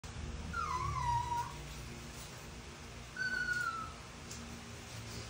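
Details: Toy Poodle begging for food, October 2023: two thin, high whines, the first sliding downward and the second held level before dropping, about two seconds apart.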